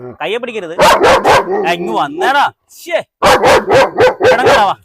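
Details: German Shepherd let off its leash at a house in Perumbavoor for a dog challenge, barking in loud, sharp bursts, two quick barks followed by a run of four more, with people talking over and between them.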